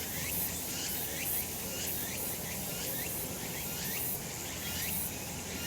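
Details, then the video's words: Cicadas calling on a summer mountain in a sunny spot: a dense, steady high shrill with pulsing bursts about once a second and faint rising strokes in the mid range, with a low rural background hum. "セミの鳴き声 夏の山 日なた"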